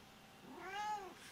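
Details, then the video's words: Pet lynx hybrid cat indoors at bedtime giving a single drawn-out meow, rising then falling in pitch with rich harmonics, about half a second long, in a quiet room. "Lynx Hybrid - My Exotic Cats ! Bed Time."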